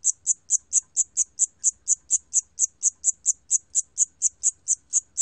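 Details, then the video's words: Siam cricket, recorded 2020, giving crisp high-pitched chirps in a fast regular series, roughly four per second, each a brief bright pulse over near silence. "샴귀뚜라미, 여러번 듣기, 곤충소리"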